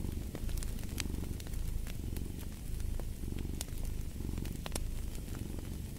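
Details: Cat purr rumbling low and continuous, rising and easing in rhythmic breaths about once a second, while fireplace crackles snap at intervals over the top.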